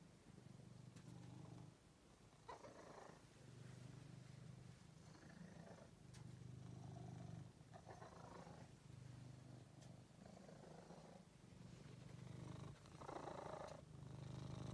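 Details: Pet cat Angelus, a rescued male found in a basement, purrs steadily; low rumbling phases swell and break in a breathing rhythm, about every two seconds, with faint rustles above.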